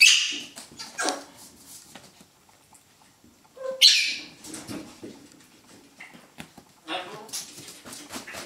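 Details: Poodle puppies in a puppy pen give short, high yips and squeaks in scattered bursts, with a brief whine between, during play with a stuffed toy, 17 November 2014; Poodle.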